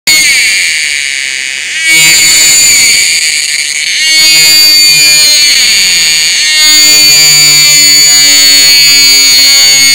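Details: Gaeana atkinsoni cicada, a colourful species endemic to the forests of the Western Ghats in southern India, emerging in summer; loud, dense high-pitched buzzing drone with steady tonal bands, shifting in intensity around two, four and six and a half seconds, plus a lower whining tone.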